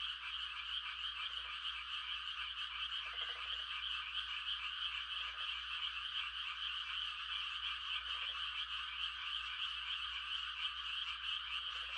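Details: On a still rural night in rice-planting season, frogs sing mating calls as a constant, high-pitched trilling mass, broken by short, deeper croaks every two to three seconds over a faint low hum.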